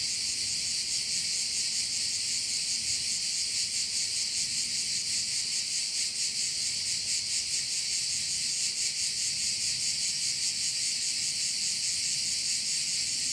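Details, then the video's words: At a Korčula bay in Croatia, crickets fill the air with a steady, high, sizzling drone that swells in quick regular pulses, a faint low rumble beneath and no other clear sounds. "View of one of the bays in Korcula with sounds of crickets"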